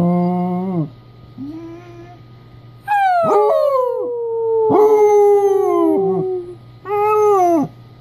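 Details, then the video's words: Three-year-old female Basset Hound howling in a conversation with her owner during a laundry break; long drawn-out howls that start high and slide slowly downward, a lower howl at first, separated by quiet gaps. "Basset Hound Howling"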